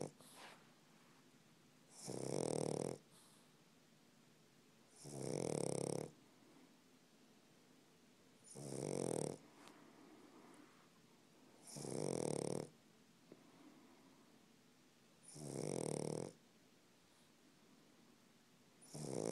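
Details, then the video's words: A sleeping pug snoring indoors: loud rasping snores roughly every three to four seconds, six in all, each lasting under a second with quiet breathing between. "Pug snoring"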